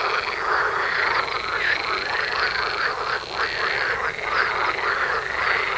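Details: Continuous frog chorus by a house, many croaking frogs forming a dense rattling wall of sound with steady overlapping pulses and no silence.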